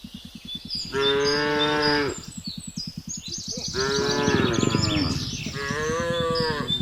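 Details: Cattle driven along a road at dusk by a young herder in a remote Indonesian village, calling the herd on the way home to the pen. Three long, rich, slightly rising moos over a steady low pulsing rumble, with faint bird chirps above.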